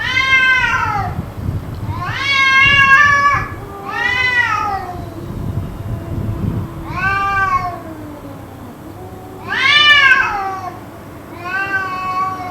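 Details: Cats yowling at length in a possible fight, a scene that went on for about two hours; loud, drawn-out harmonic wails rise and fall roughly every two seconds, with a lower steady moan beneath and a low rumble of background noise.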